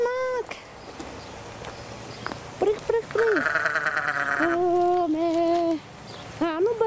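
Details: Farm lamb, one of many lambs and kids fed fresh grass, bleating loudly in a series of quavering, harmonic-rich cries, some rising then falling, several long and steady, with a person talking nearby.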